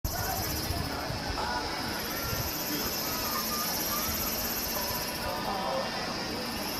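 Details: Kaempfer cicadas sing a steady, high, shimmering drone that never breaks, with faint voices underneath, at a campsite in Namasia, Kaohsiung, Taiwan, on 26 May 2018.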